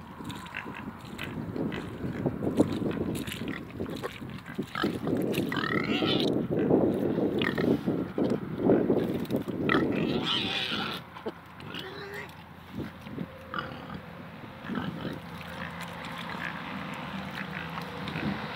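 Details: Pot-bellied pigs and Mangalica pigs, two of each, grunting steadily in a dense low chorus, with a brief higher squeal in the middle and quieter grunting afterwards.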